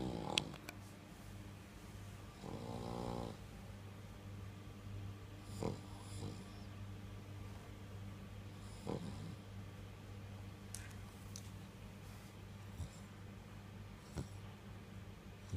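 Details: A pet dog, a female called a little fur child, snoring steadily indoors; a low rumbling drone persists throughout, with a louder rasping snort near three seconds and scattered faint clicks and small sounds.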